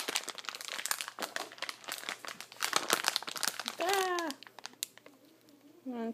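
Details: Leo, a house cat thought to be mute, is coaxed with treats in a small room. Loud crinkling of a treat bag comes first, then a falling, drawn-out meow and a second short mew at the end.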